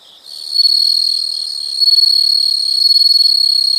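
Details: Insects in a nature sound recording: a high, steady trill fades in quickly and continues loudly with fine rapid pulsing throughout, swelling slightly midway.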